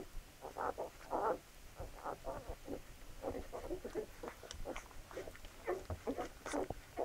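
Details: Labrador Retriever puppies at feeding time: dense, irregular bursts of short grunting and snuffling, overlapping one another, with a few brief sharper squeaks rising above the low, steady mealtime noise.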